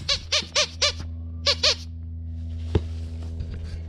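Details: Dogs roughhousing in freshly raked leaves on a fine autumn day; six short, high, squeaky yelps, each rising then falling, come in quick bursts over the first second and a half, then fade to quiet leaf rustling.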